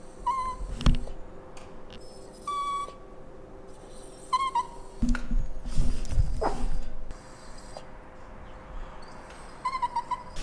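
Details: Indoor pet dog crying for breakfast after the household wakes up: scattered short, thin whimpers, some held briefly and some wavering, separated by pauses, with thumps, rustling and a constant low hum.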